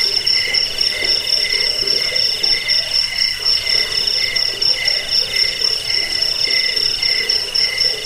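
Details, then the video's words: Cricket chirps used to repel rats, aid sleep and train birds: rapid high pulsing trills, about four beats per second, layered in shrill parallel bands with a steady ringing top note. "Suara jangkik"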